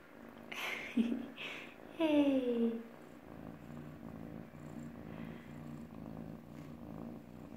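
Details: An F1 Savannah cat gives a short, falling, nasal meow over a steady low purr.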